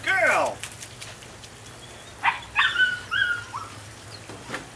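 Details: Female puppy, 9 weeks old, of the Rodin/Katana litter: a loud falling whine opens, followed by several short, squeaky yelps with rising and falling pitch over a faint low hum.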